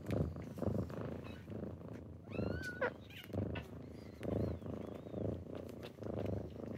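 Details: Close purring from kittens waking their owner in the morning, pulsing rumbles about every two seconds, interrupted midway by a short high chirping mew and faint squeaks.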